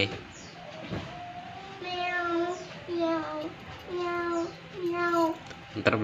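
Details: Indonesian kucing kampung, ordinary domestic village cats kept as household pets, repeat four steady meows about a second apart, each a flat, slightly wavering tone, with voices and a child's chatter around them indoors.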